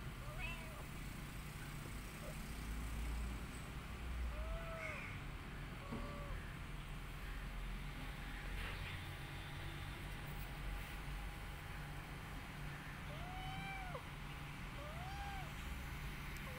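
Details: Domestic cat family, a rescued mother cat tending her kittens and an adopted kitten; a series of brief arched mews at irregular intervals, clustered early and again near the end, with a constant low rumble of traffic beneath.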